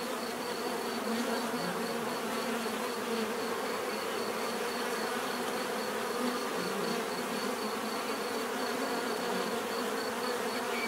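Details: Steady swarm-like buzzing from numerous bees; overlapping humming tones rise and dip slightly as individual insects pass, over an unbroken background drone.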